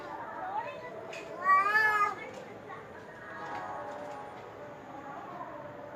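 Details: Domestic cat producing one loud, strained meow lasting about half a second in the middle, surrounded by quieter mewing, low murmur of voices and household background.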